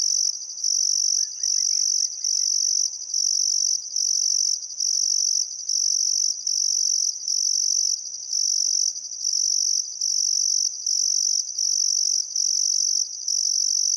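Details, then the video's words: Crickets chirping on a still summer afternoon at sunset by the Barcoo River, Welford National Park, Outback Queensland, Australia: a dense high-pitched trill in bursts of about a second with brief gaps, faint bird calls early on. "Australian Sunset Chirping Crickets"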